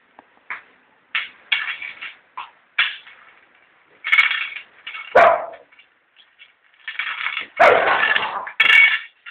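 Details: Pet dog named Kokey barking excitedly in a run of short, sharp yaps and louder harsh barks, irregularly spaced, some bursts doubled, with a few whimpery squeaks between them.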